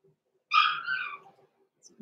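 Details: Blenheim Cavalier King Charles Spaniel puppy, six weeks old, in an indoor puppy pen, letting out a single drawn-out high whine of about three quarters of a second that trails off, with faint rustling afterward.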